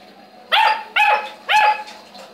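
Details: Saint Bernard dog barking three times, each bark loud, full and harmonic-rich, spaced about half a second apart, with a steady low hum in the background.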